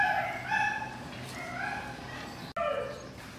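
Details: Show-quality Siberian Husky at Melarn Kennel in the Philippines whimpering: a series of high, drawn-out whines with stacked overtones, several in a row, a brief gap near the end before one more falling whine, faint room noise beneath.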